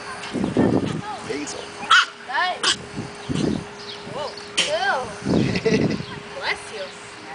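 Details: Seven-week-old Whippet puppy Turner, born 5-12-10, meeting a new friend at a house, gives short high yelps and whines with arched tones, several in quick succession, over a person talking.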